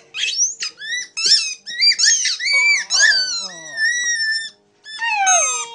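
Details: Buddy, a Border Terrier, howling indoors: short high whining and yodelling notes that rise and fall, broken into bursts with brief gaps, some voices or higher tones mixed in.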